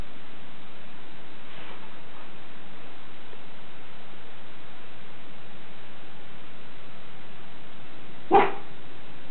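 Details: Schipperke named Captain Jack Sparrow guarding the house: one sharp, loud bark near the end, after long quiet stretches of steady background hiss and a faint earlier yap.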